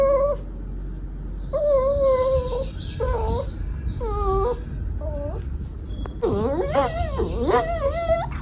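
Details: A Shih Tzu, reacting to weird sounds, gives a run of high, tonal whines and yowls, some wavering and some sliding.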